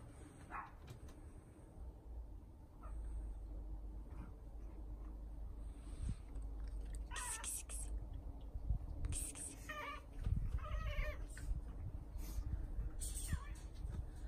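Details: British Shorthair cats relaxing in a summer house built for them outdoors, visited every morning in summer; a few short, tonal meows come in the second half, over a steady low background hum and faint rustling.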